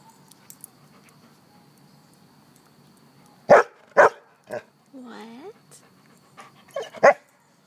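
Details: Mac, a cheerful dog playing and rolling in grass outside, lets out a quick run of three loud barks, then a pause with a drawn-out rising vocal sound and human voices, ending with another pair of barks.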